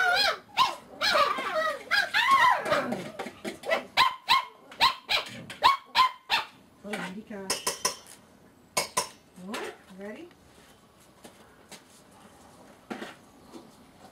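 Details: Litter of seven-week-old puppies on an afternoon, giving rapid squeaky high yips and short barks, crowded together in the first seven seconds, then sparser yelps and a few lower whiny calls with quieter gaps.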